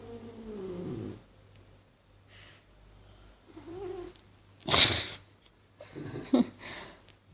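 A Maine Coon cat breathes heavily in breathy, rasping bursts, with a low steady rumble underneath.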